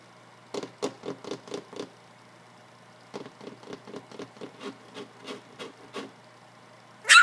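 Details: Three-week-old field-bred English Springer Spaniel puppies, black and white, at the age of starting to play and bark: two runs of short, quick, evenly spaced yips, about six then fourteen, ending in a sudden loud clatter.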